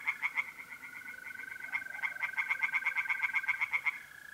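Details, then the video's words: Tree frogs singing in a pond on a mid-April night in north-east Italy. Rapid, loud, pulsed croaks come in quick overlapping series of about four to five per second. A steady, high, continuous mole cricket trill runs underneath. "relaxing singing tree frogs in pond"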